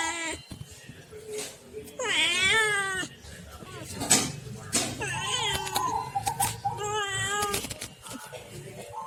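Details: Pet household cats calling in a longer exchange: a wavering, warbling meow that rises and falls, then shorter strained meows and a final quavering wail. Clicks and low room noise run underneath throughout.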